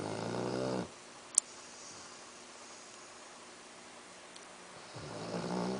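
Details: Sleeping Labrador Retriever Axel snores at the start and again near the end, each a low, rattling inhale with stacked tones. Quiet room noise and a sharp click separate the two.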